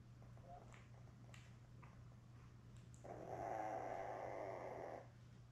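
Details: Newborn Labrador Retriever puppies, a litter of seven born May 24, 2021, with their mother Belle on a live puppy cam on June 4; a soft, breathy, wavering whine swells for about two seconds over a steady low electrical hum.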